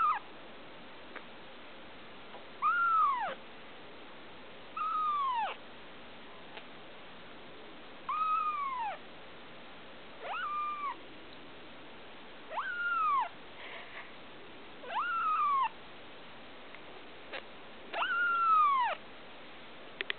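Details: Blue Persian kitten, a female a day short of two weeks old, giving thin, high mews that rise and then slide down, one every two to three seconds, about eight calls, over a quiet steady background hiss.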